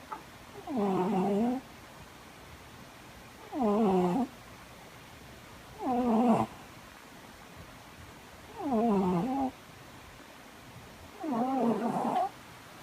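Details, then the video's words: Cat snoring loudly in five strong, even bursts about two and a half seconds apart, each a rough harmonic rasp bending downward then up, with quiet breathing gaps between. "THE LOUD SNORING CAT"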